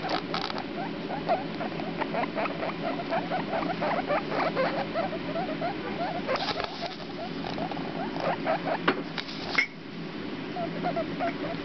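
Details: Baby guinea pigs, a boy and a girl, four days old: rapid bursts of short, chirpy squeaks in quick runs, mixed with rustling and scuffling sounds.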